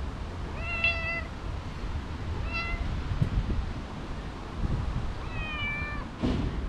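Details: Three clear, tonal meows from stray cats, a mother and her two kittens, come at a steady spacing over several seconds against low outdoor rumble with faint scuffling noises.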